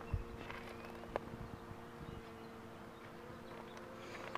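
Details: Steady droning hum of honey bees while the queen box is pulled, with faint clicks and light rustling over the continuous buzz.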